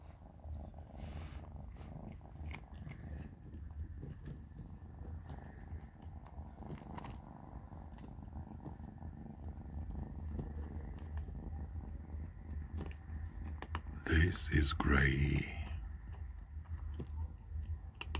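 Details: Three kittens, Panda, Grayie and Goldie, eating plenty of dry cat food at dinner; a low, continuous purring rumble runs throughout, broken by a brief loud clattering burst around fourteen to fifteen seconds in.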